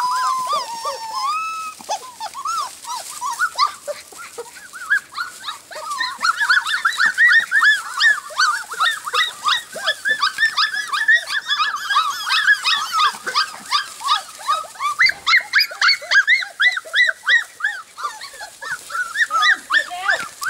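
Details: Golden Retriever pups aged four weeks, the litter of Jelly and Gabe, fill a long stretch with continuous high-pitched yipping and squealing barks, softer whines at first, building into a dense, steady chorus of overlapping puppy voices.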